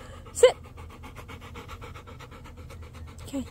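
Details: Wet female dog eating corn on the cob on a hot day, panting steadily in rapid rhythmic breaths, with a sharp click early on and a person softly urging her to be gentle.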